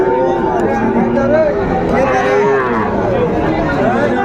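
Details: Sahiwal bull, called the best of the cattle market, bought by a farmer in Chattogram, Bangladesh, on 6 January 2025; drawn-out, wavering low moo with harmonics, overlapped by loud men's talking and market crowd chatter throughout.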